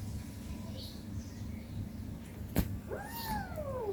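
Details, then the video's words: Kitten, 18 days old, at play with its mother indoors; after a sharp knock, one falling, drawn-out meow sweeps downward through the final second against a faint background hum. "cat meowing sounds"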